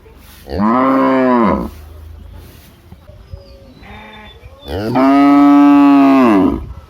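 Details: Large village cow mooing twice: a short moo of about one second, a quiet stretch with faint distant sounds, then a longer, stronger moo lasting nearly two seconds.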